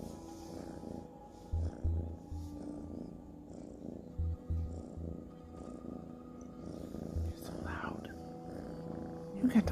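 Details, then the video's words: Ginger kitten purring, also yawning and stretching; a low, steady rumbling purr runs through with soft pulsing bursts, while a person speaks softly nearby. "GINGER KITTEN CAT IN THE WORLD PURRING"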